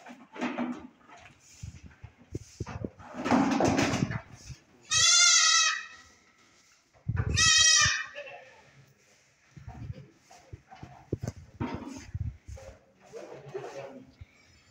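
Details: Saanen goats, a Swiss dairy breed, kept in Swat, Pakistan: two loud harmonic bleats about two seconds apart, each near a second long, amid Spanish conversation and background music.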